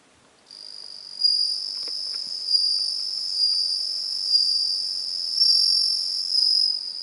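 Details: Bell cricket song recorded on 17 September 2021: a high, pure ringing trill held for about six and a half seconds, swelling and easing in loudness roughly every second and a half, over a quiet background.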